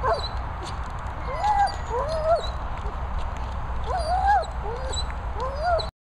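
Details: Toy-mad German Shepherd dogs at a Worcestershire training kennels giving a series of high, arching whines and squeals, each a second or less, rising then dropping, against a constant low background hum.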